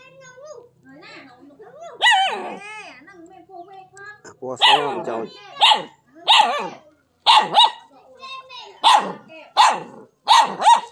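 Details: Dog barking on seeing a non-venomous snake, one called the frog snake; human voices first, then a run of sharp, loud barks about once a second.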